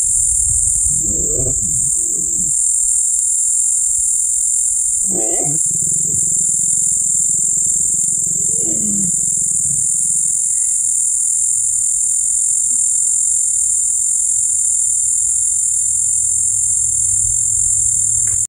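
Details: Lions mating, giving harsh, rough growling bursts at about one, five and nine seconds, each lasting roughly a second, with a softer rumble trailing after. A constant high-pitched whine sounds throughout.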